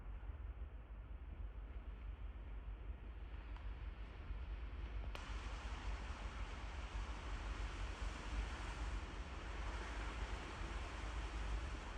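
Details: Steady low rumbling wind-like noise throughout, growing brighter after a faint click midway, with no animal voice.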